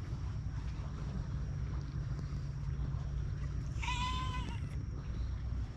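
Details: A cat among those living at an abandoned school on a cat island, filmed on a GoPro HERO8, gives one clear meow lasting under a second with a slight downward bend, set against steady low rumbling wind-like noise.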